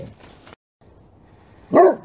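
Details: A group of Great Pyrenees barking in unison: quiet background gives way to a single strong, deep bark with rich overtones at the end, with another bark just beginning.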